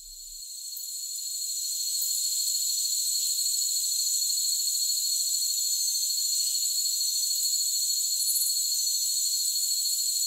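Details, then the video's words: Crickets offered as calming sounds for masking tinnitus: a continuous, shrill high-pitched trilling chorus fades in over the first two seconds and then holds steady, layered in several unbroken tones, with no low sounds at all. "Cricket Sounds"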